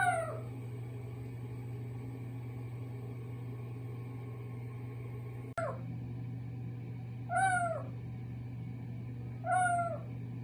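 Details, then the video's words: Kitten in a bathroom giving its peculiar call: a falling meow at the start, a sharp click, then two more bent, harmonic meows about two seconds apart, with a constant low hum throughout. "화장실에서 특이한 소리내는 고양이"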